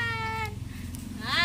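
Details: Bleating goat kid during iron injection care: a clear, level, nasal bleat for half a second, then a second, rising bleat that swells louder at the end, with a low background hum.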